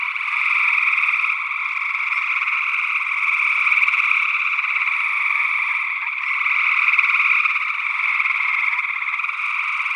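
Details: Early June 2022 gray tree frog chorus from Northwest Wisconsin, recorded with matched condenser microphones; many pulsed trills overlap into a seamless buzzing drone, loudness wavering gently throughout.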